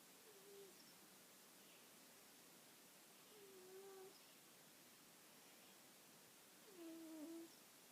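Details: Mr. Stripey, a sleeping cat, snoring softly: low, slightly tonal hums on each breath, recurring every three seconds or so, over a steady background hiss.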